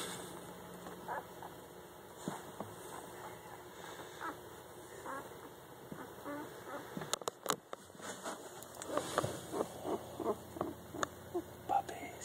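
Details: German Shepherd puppies five days old give a run of short, soft, squeaky calls, quiet at first and then repeated in quick bursts toward the end, over a steady low hum.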